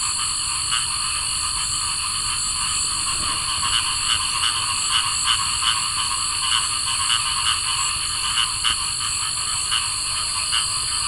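Cricket frogs give rapid, dry clicking calls over a steady, high insect hum on a summer night.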